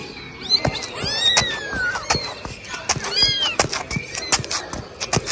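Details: A kitten trained for 17 days meows repeatedly while crawling with its owner: several thin, rising-and-falling cries close together, mixed with sharp taps and a person calling to it.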